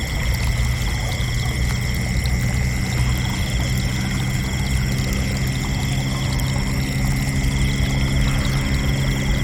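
Crickets trill steadily at several pitches over a deep, constant rumble like pouring water.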